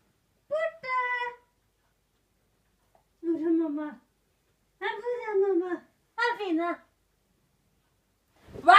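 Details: King Poodle named Senna howling indoors in a small room: four drawn-out, wavering tonal cries, each about a second long, with rich harmonics that slide and bend in pitch, separated by short silences, a sharp noise at the end.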